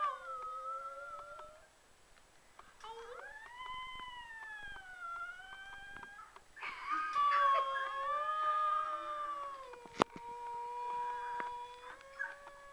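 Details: Australian Shepherd puppy in a howling bout indoors: drawn-out, wavering tones rising and falling, a louder strained howl in the middle, then a long level howl, broken by one sharp knock.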